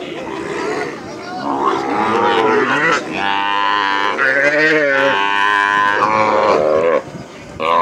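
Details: Calves being released after branding during plains ranch work, bawling loudly in overlapping drawn-out harmonic calls that rise and fall, several animals at once, with people's voices mixed in.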